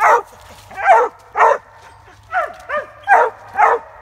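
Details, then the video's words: Squirrel-hunting Treeing Walker hound barking in loud, ringing bursts, a few paired yips with falling tails, about eight calls over four seconds, separated by brief pauses. "Treeing walker SQUIRREL HOUND"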